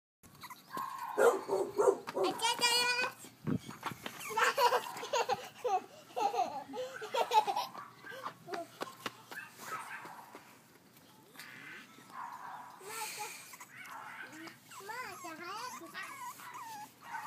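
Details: Brindle French Bulldog puppies, a male and a female born on 29 May, give high, wavering whines and squeals with rising and falling sweeps, repeated in irregular bursts, with faint rustling between calls.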